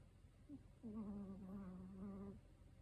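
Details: Thirteen-year-old elderly male Chihuahua snoring loudly while asleep indoors: a single drawn-out, steady, tonal, whistly snore lasting about a second and a half, preceded by a faint short note.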